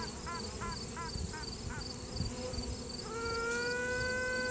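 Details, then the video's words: A virgin honey bee queen in the hive, sounding off to assert dominance, with a possible rival answering: a few short quacking pulses, then a long, steady trumpet-like toot held for over a second above the hum of workers, phone-recorded. "Queen Bee strange noises"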